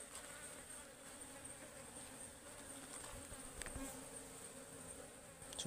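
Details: Wild ligwan honeybees swarm while their forest hive is harvested, the bees described as very aggressive because the hive is full of honey. A constant droning buzz and a high steady whine continue throughout, with a few handling knocks.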